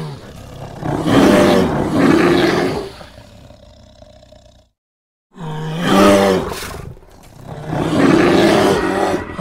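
American black bear giving deep, rough roaring growls in four drawn-out bursts of one to two seconds each, split by a short silent break.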